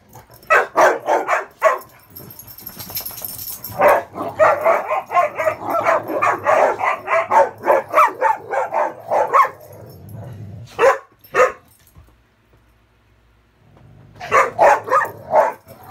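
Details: Three dogs playing indoors on a bed on a muddy day, one guarding the bed as others try to climb on; a high-toned playing bark. Rapid bursts of sharp barks, a busy noisy stretch, then a pause and more quick barks.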